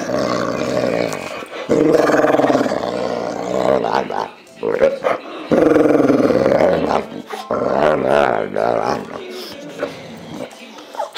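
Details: Enzo, a male pet Boxer, growling: long, rumbling, moaning growls with a tonal, harmonic quality, in bursts of a few seconds separated by short pauses, with a human voice overlapping at times.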